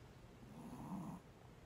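A Shih Tzu snores, one low, rough breath rising and fading over about a second.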